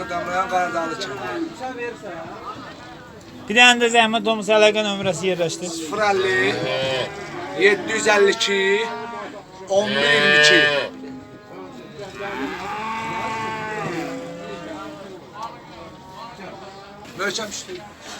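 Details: Simmental calves for sale at a livestock market in Beylaqan, Azerbaijan, on 27 May 2021: several long, drawn-out harmonic moos rise and fall amid constant men's talk and bustling market noise.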